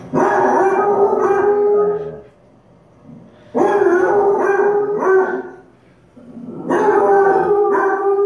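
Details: A Doodle dog howls along with Basset Hounds on TV, in long, wavering, mid-pitched bouts of about two seconds each, with short pauses between.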